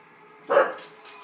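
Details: Single short bark from a pet Staffordshire Bull Terrier being egged on to chase, a brief burst followed by a fading tail over a faint background hum.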